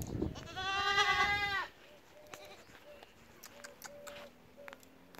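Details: A goat lets out one long, tremulous bleat lasting over a second, then quieter clicks, brief tones and rustling follow.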